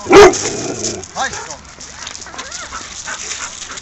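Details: Dogs at play in a dog park in Mariehamn, Åland Islands, 30 April 2012: one loud, abrupt bark opens, followed by a shorter yelp and several faint arched whines over quiet outdoor background.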